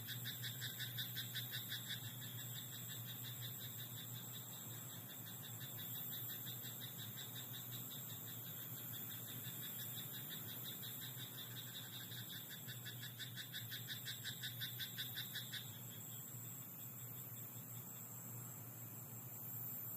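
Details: Night in a rice paddy, where frogs keep up an almost unbroken rattle of quick pulsed croaks for about fifteen seconds before falling quiet against steady hiss and hum.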